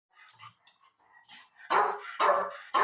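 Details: Labrador Retriever, a 13-year-old dog at its birthday celebration, gives three loud, short, harsh barks in quick succession near the end, following soft indoor human speech.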